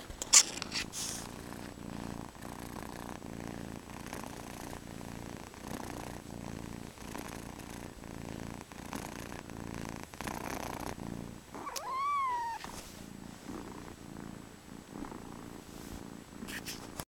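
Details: A cat purrs with a soft, rapid, steady rumble for most of the time, interrupted near the middle by one short, wavering meow that rises and falls.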